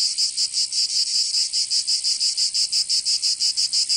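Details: Provençal cicadas in summer, southern France, producing a shrill continuous buzz broken into rapid rhythmic throbs, close to three pulses each second, steady and loud.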